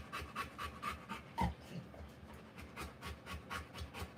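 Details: A Rottweiler giving birth pants in short breathy puffs, uneven in spacing, with a brief louder catch midway and soft low rustling beneath.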